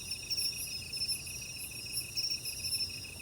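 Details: Cricket song, sung at a low pitch for its body size within a very narrow band: a steady high, pulsing, ringing trill with faint overtones that swells and fades in quick beats, over a soft background hiss.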